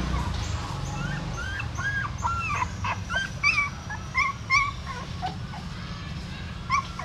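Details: Female dog shifting her new puppies by mouth from a pagoda stupa in Siem Reap; scattered high, bending whines, softer and spaced out, over a rumbling low background.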